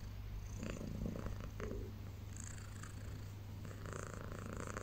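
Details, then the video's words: Low, steady purr from a domestic cat just waking in the early morning on a blanket, a continuous pulsing rumble with brief rustling and light shuffling noises over it. "Cat Wakes Up Purring Loudly"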